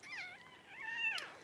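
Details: Newborn Cavalier King Charles Spaniel pup, born as Paris whelps her first two puppies at home: one long, loud, wavering squeal that rises and falls, climbs to a sharp peak, then slides down at the end.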